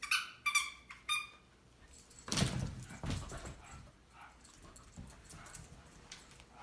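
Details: Corgi puppy in the early stages of learning to play fetch gives three short, high, whining yips in quick succession, then falls silent amid thumps, rustling and play noises.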